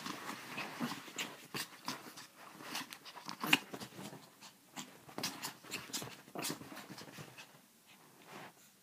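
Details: Pepito, a pet chihuahua indoors, making a rapid run of short, breathy snorts and panting bursts, some sharper and louder, irregularly spaced over the whole stretch in a small room.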